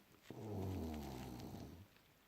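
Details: Junior French Bulldog, described as funny, snoring while sleeping deeply in January 2018: one low, rough, rumbling snore of about one and a half seconds, steady and then fading, in a quiet room.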